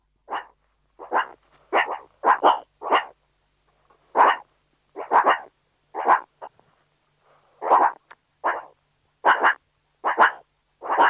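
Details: Meerkat (Suricata suricatta) producing loud, hoarse, bark-like calls in irregular bursts of two to five, separated by short pauses, in an otherwise quiet recording.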